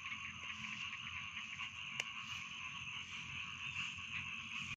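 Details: A rice field frog chorus holds a dense, even croaking buzz throughout, broken once by a brief sharp click midway, over a low background rumble.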